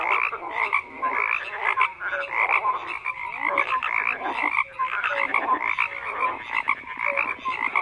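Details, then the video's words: Overlapping croaks from numerous frogs form a thick, buzzy wall of sound, punctuated by short clear chirps and pulsed rattles that rise and fall in loudness every second or so. "FROGS CROAKING"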